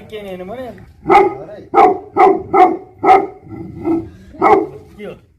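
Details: Tibetan Mastiff guardian dog from Nepal barking heavily: a human voice briefly at the start, then a series of six or seven loud, full woofs spaced under a second apart, fading at the end.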